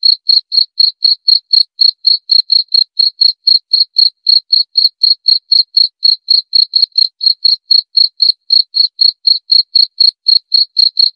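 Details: Chirping cricket for relaxing the mind before sleep and driving off rats: a long, even series of sharp high pulses, about four each second, on a silent background.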